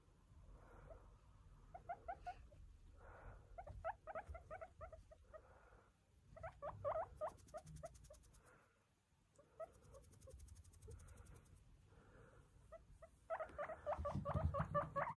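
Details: Indoor guinea pig at dawn wakes its owner from bed before the alarm, asking for green pepper for breakfast, while a second guinea pig watches from afar. It gives rapid, repeated, stuttering squeaks in bursts, louder at the end, over bedding rustle.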